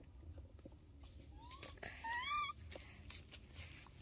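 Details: Baby monkey, one of the pair named Dorn and Dum, in its daily life, gives a brief thin whistled call that rises and then breaks into a squeaky upward sweep. Quiet room noise lies beneath.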